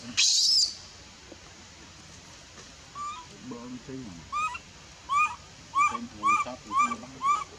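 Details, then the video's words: Rejected by her mother at feeding, a female infant monkey in the Bayon area cries in short, arched whines repeated about twice a second, after a brief harsh burst and some low murmuring. "Super sad baby monkey is crying when her mom is try pushing her out for reject milk"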